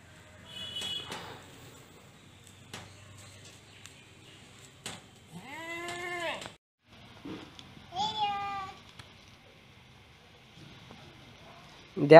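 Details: Kept goats, including young kids, bleat twice: a long wavering cry that rises then falls, then a shorter, higher, quavering bleat about two seconds later, with faint clicks and handling noises between calls.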